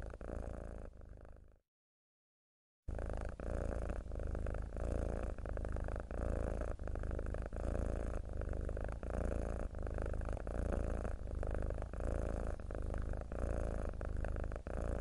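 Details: A mackerel tabby cat purrs steadily, a low rumbling vibration pulsing with each breath.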